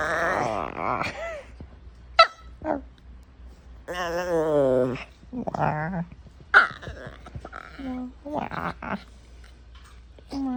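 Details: Female puppy vocalizing for attention in a string of wavering, harmonic whines and yodel-like moans separated by short gaps, with sharp clicks and a human voice mixed in.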